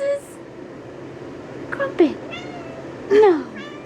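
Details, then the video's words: Two-year-old female calico cat, upset by repeated sneezing, gives a short wavering meow-howl between loud fake sneezes and a woman's speech indoors. "Cat Hates When People Sneeze"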